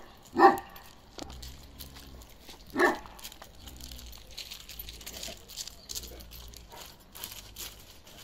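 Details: Two loud single barks about two seconds apart from Balyoz, a 15-month-old male karakırçıl Kangal, followed by quiet background rumble and faint noises.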